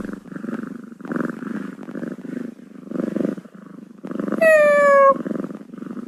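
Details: Kitten purring steadily in soft low rumbling pulses, then giving one clear, slightly falling meow with bright overtones near the end before the purring resumes.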